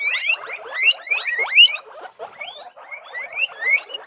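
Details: Guinea pigs give loud, sharply rising squeals; one long upward sweep stands out near the middle, with fainter slurred whistles and soft chatter around it and a brief lull before the calls resume.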